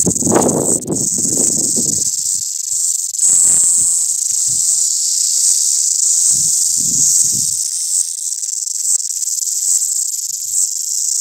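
A cicada gives a steady, high, hissing buzz that drones on without a break.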